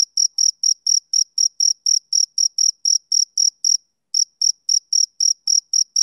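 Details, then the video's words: A male cricket gives rapid high, piercing chirps, several each second, then stops for about half a second before resuming the same brisk series. No background noise. "Cricket Chirping Sound Effect"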